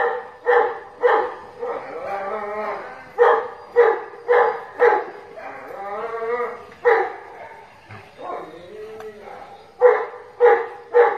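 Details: Dogs fighting and playing with a friend, barking in quick bursts of sharp, harmonic-rich barks, with whining, wavering tonal yelps and growly sounds filling the gaps between barks.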